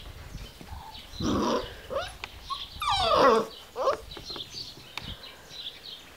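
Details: Giant Schnauzer giving a short rough bark-like burst, then a loud, sharply falling whine-like yelp, followed by a few softer yelps and faint clicks against a quiet outdoor background.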